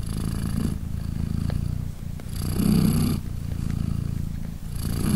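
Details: Purring British Shorthair mother cat lying with three tiny kittens born three days earlier as they nurse; continuous low rumble that swells and softens, louder in the middle, with airy breath strokes between rumbling stretches.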